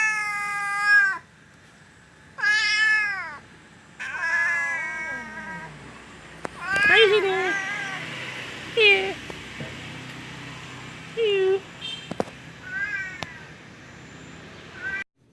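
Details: A domestic cat meows while being called by name: three loud, drawn-out, wavering cries in the first six seconds, then shorter, softer mews spaced a couple of seconds apart, with a human voice talking and calling in between.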